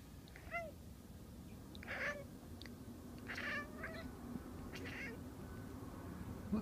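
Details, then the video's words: Pet cat named Andy, indoors, watching birds and calling toward them; short harmonic meows and chirps, sliding down then up in pitch, come about every one and a half seconds over a steady low hum. "My cat talking to the birds"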